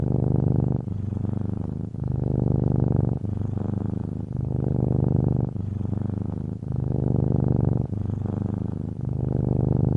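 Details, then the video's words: A cat purring steadily in low, rumbling phrases. Each breath-cycle section lasts about a second before a brief break, and the pattern repeats throughout with a faint soft background tone. "Cat Purring Sounds"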